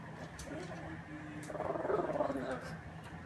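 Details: Family pug Bambi, a female, making her unusual noise at mealtime: a quick wavering, pulsing whine in the second half, following soft chewing clicks.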